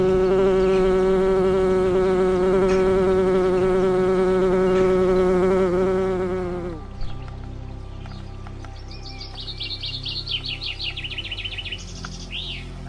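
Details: Small colony of wood bees living in an old bird's nest inside a nest box: a steady, deep, droning buzz lasting about six seconds, then fading out, followed by quick high chirping bird notes.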